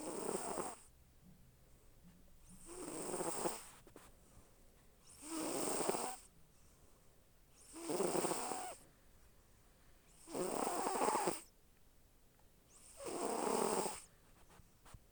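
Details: A sleeping pet cat snores: six rasping, breathy snores in a steady rhythm, one about every two and a half seconds, separated by quiet pauses.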